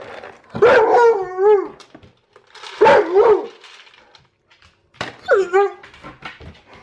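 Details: Alaskan Malamute eager for its meal at feeding time, voicing three drawn-out, wavering woo-woo whines, each about a second long with rich harmonics and bending pitch, spaced roughly every two seconds with short pauses between.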